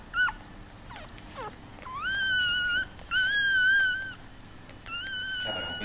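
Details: Newborn Yorkshire Terrier puppies, a litter of five, give thin, high, drawn-out whines, some rising and some falling; Yorkshire Terrier.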